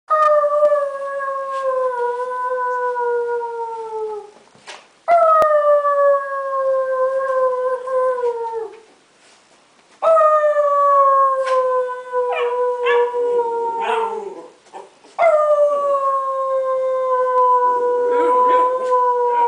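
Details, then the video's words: A female Chiweenie, started howling while her owner was playing with her, gives long, drawn-out howls that sag gently in pitch, repeated four times. "How to make your dog howl"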